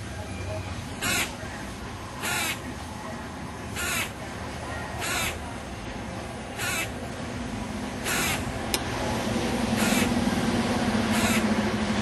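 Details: A noisy squirrel chatters outside a second-floor window. Harsh, raspy bursts repeat about every one to one and a half seconds over a steady background hiss and low hum.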